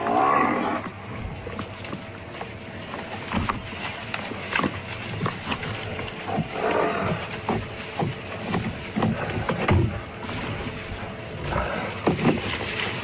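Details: Nkuhuma lionesses and a male called Junior give deep, rasping growls and snarls in short bursts while struggling to pull down a buffalo, which is labouring to breathe, on July 10, 2015.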